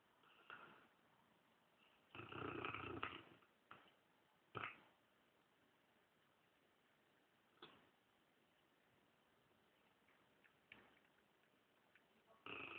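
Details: Sleeping Dogue de Bordeaux lying on a leather living-room armchair, twitching as it snores: a loud rough snore of about a second near the start, short snorts around four and a half seconds, quiet breathing between, and another loud snore at the end.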